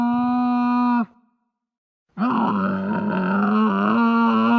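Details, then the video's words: Camel howl: a deep groaning moan with a steady droning tone, a short pause, then a longer, wavering, throaty groan. "CAMEL HOWL SOUND EFFECT"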